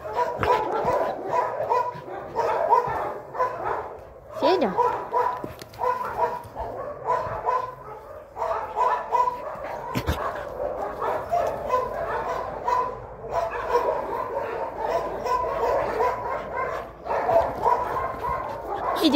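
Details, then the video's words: Shelter dog Fedya, housed with Ryzhulya at the Sirius animal shelter in Kyiv region, calls for play with bursts of repeated mid-pitched barks and yips, broken by short pauses, while human voices sound in between. "Федя зовёт играть"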